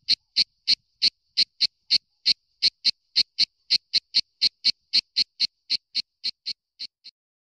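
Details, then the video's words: Cicada filmed with a Nikon W300 and P900: a run of about 25 short, harsh, high buzzy pulses, roughly four per second, evenly spaced before slowing and fading away at the end; no other sounds. "La Cicala"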